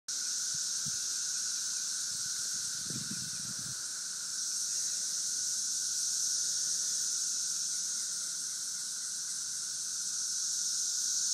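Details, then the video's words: Cicadas in St. Louis in 2011 fill the air with a steady, unbroken high buzzing drone, its pitch band holding level throughout, with a fainter lower whine beneath and a few brief low thumps near the start. "St. Louis Cicadas - 2011"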